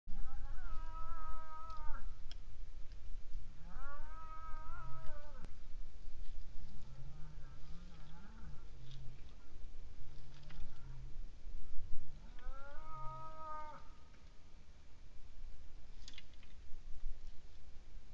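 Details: Cow in Estonia, recorded 29 April 2019, roaring: drawn-out, harmonic bellows of about a second and a half, repeated several times.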